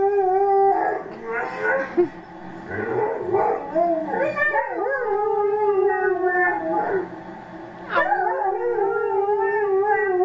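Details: Howling from Lexi, an Alaskan Malamute rescued one week before: drawn-out wavering notes mixed with yips and gliding, talk-like vocal slides, a brief pause, then a fresh rising howl that holds steady to the end.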